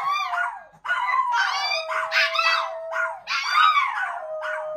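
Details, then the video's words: Chihuahuas singing together with a Miniature Pinscher friend: overlapping wavering howls rise and fall in several bursts, with one long steady note held underneath and voices joining in layers. "Chihuahuas Sing With Their New Min Pin Friend!"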